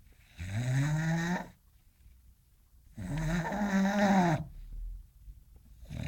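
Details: English Bulldog snoring in its sleep while dreaming, with loud, throaty, groaning snores that have a slightly voiced, vibrating tone. Two long snores come about two and a half seconds apart, separated by silence.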